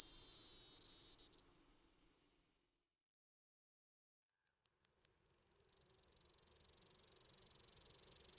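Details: A cicada in summer in Nova Scotia gives its mating call, a loud, shrill, high-pitched buzz that cuts off, then returns.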